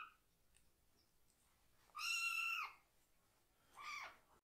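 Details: Kitten in foster care meowing loudly while its lower body is washed; one clear drawn-out harmonic cry lasting under a second, then a shorter, fainter cry about a second later, otherwise quiet indoors.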